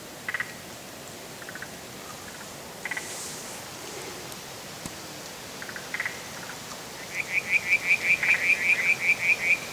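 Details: Spotted grass frog, Limnodynastes tasmaniensis, calling: short clicky knocking pulses near the start, then a fast regular run of about a dozen sharp clucking notes at the end over steady hissing background noise.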